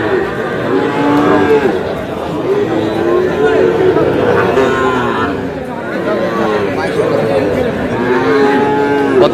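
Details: Sahiwal bull calves purchased in Chuadanga on 4 July: a run of repeated arching moos, rising then falling in rhythmic waves from several animals, layered over a noisy crowd and talking.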